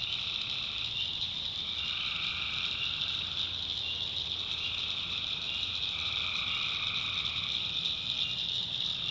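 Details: Dense nocturnal tree frog chorus in a North Carolina backwoods swamp: high, continuous shrilling with softer lower trills rising in now and then, steady in loudness throughout.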